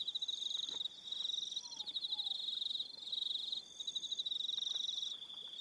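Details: Evening crickets on Aroha Island, New Zealand: dense high pulsed trills near the top of the range, overlapping callers with steady shimmering bands and brief gaps, plus faint short falling whistles lower down.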